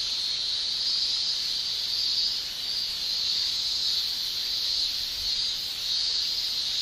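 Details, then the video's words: Japanese summer chorus of male cicadas singing by tymbal: a continuous piercing hiss-like drone, evenly sustained with slight rhythmic waves of intensity throughout. "Japan Summer Cicada Shrilling"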